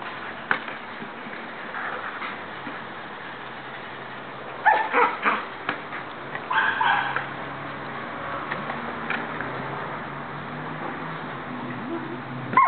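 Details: Border Collie Bella, a female dog, playing with her soccer ball; a few short harsh barks in clustered bursts around the middle, over steady background noise.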